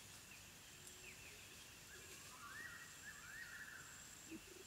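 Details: Wild dog puppies calling at the den, drawn-out whining notes that rise and fall, several overlapping in quick succession, then a brief low squeak, all set against a constant insect hum and scattered distant chirps.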